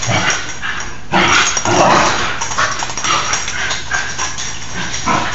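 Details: Indoor wrestling between two young Basenji sisters, nine months old, worked up during a rainy spell; a loud scuffle around the one-second mark, then snarly bursts and scrambling noises continuing over a faint hum.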